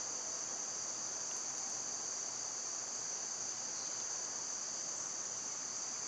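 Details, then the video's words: A seamless high hiss comes from a summer cicada chorus, loud in this season, with only one faint, brief chirp early on. "Birds & Squirrels w/ Cicada sounds"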